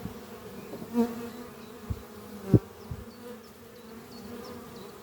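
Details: Western honey bees at a strong horizontal hive under trees on a spring morning, bringing in pollen, fill the air with a steady low droning hum, with louder buzzes as individuals pass close.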